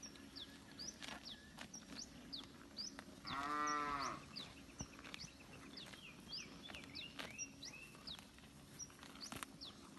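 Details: Free-roaming village cattle grazing in a green rice field answer one another; one clear harmonic moo about a second long near the middle, with chirping birds scattered throughout.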